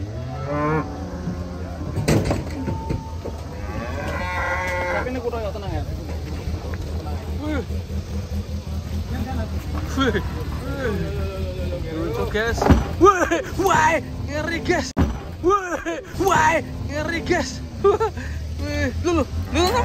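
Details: Cattle unloading from a truck: repeated drawn-out moos with strong harmonic bands and curving pitch, several calls overlapping across the recording, over a constant low vehicle rumble with brief clattering knocks and occasional voices.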